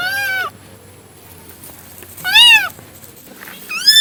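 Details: Cat meowing: three clear, high, arched meows spaced about a second and a half apart, each short and strongly harmonic, over a quiet background hum.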